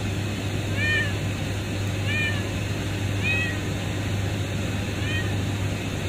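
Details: A kitten found under a pipe at a refinery gives four evenly spaced, high, bowed meows over a persistent low mechanical rumble.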